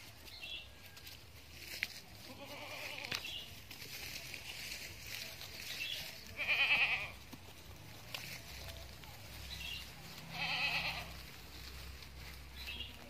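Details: Etawa crossbreed doe (kambing Bety Kros bor), a large future breeding female, calls with loud quavering bleats repeated roughly every four seconds, plus fainter distant bleats and low background hum.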